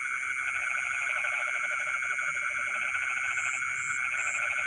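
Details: Night chorus of frogs in rice fields, midnight: continuous fast pulsed croaking through the whole stretch, layered over a constant ringing high-pitched hum, with a few short high buzzes near the end.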